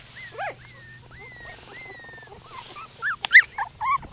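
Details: Cockapoo puppies, seven playing together outside, make drawn-out high whistled whines and quick squeaky yelps, a few sliding tones early, then sharper clustered yips toward the end over a faint low hum.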